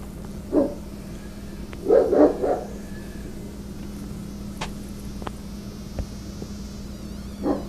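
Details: Rottweiler named Sarge barking at workers trimming branches near telephone wires, treating them as intruders; one bark, then a quick burst of three, a long pause with scattered clicks and taps, and a final bark over a low mains-like hum.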